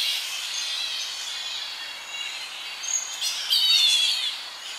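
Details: Young Tonga flying foxes squabbling in their evening colony, heard close up: a steady wash of shrill, strained calls, then sharper, louder squeals in the last two seconds over a faint breeze in the tree.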